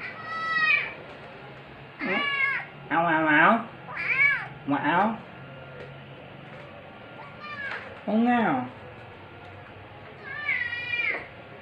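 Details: A chatty pinstripe tabby rescue kitten, rescued about two weeks earlier, gives a string of bright, rising-and-falling meows in a back-and-forth with its owner's voice on the evening of 2 October 2023.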